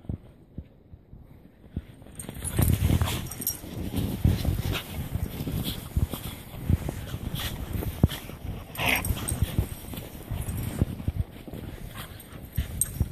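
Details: Corgi and husky dogs, three animals, wrestling in the snow at a grandparents' home: scuffling, panting and rough bursts of play noise, with one short yelp-like cry midway and thumps throughout.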